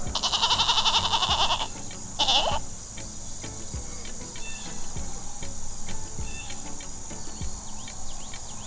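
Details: White mountain goat: loud harsh bleat with a buzzy, pulsed quality lasting over a second, a shorter second bleat follows, then steady background music with a beat runs throughout.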